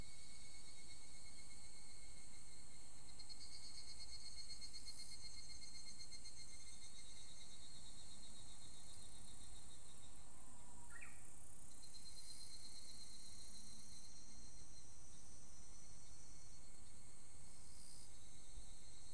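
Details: Just after the rainy season ended, an evening cicada produces sustained high, pulsing trilled phrases that shift and restart. A Japanese bush warbler, unusually calling simultaneously, adds one brief rising whistle partway through.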